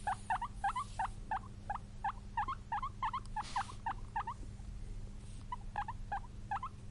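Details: Pet guinea pig squeaking in rapid bursts: short upswept chirps with bright overtones repeated roughly three times a second, occasional doubled notes, brief soft rustles, and a constant low electrical hum beneath.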